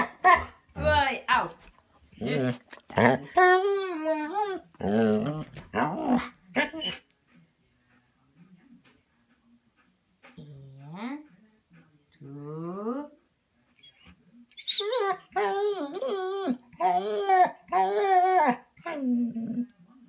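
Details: Bernese Mountain Dog left indoors at a cabin, wanting to join a walk, grumbles and moans in expressive bursts. A quiet pause follows, broken by two short rising whines, then a renewed stretch of loud, wavering, growly vocalizing.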